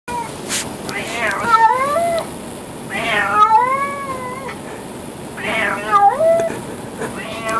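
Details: Friendly, dog-like adopted stray male cat that sits in the kitchen with an elderly howling chocolate Labrador: loud, drawn-out, wavering meows that rise then fall, three in a row every two to three seconds, over steady background hiss.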